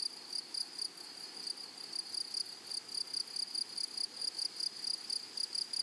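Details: Meadow grasshoppers give a continuous series of short, high, buzzy pulses, several every second, in an even rhythm throughout.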